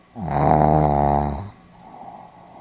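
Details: A Pomeranian asleep, recorded on 4 November 2015 in Hiroshima, lets out a single loud, drawn-out rattling snore lasting over a second, then soft breathing in a quiet room.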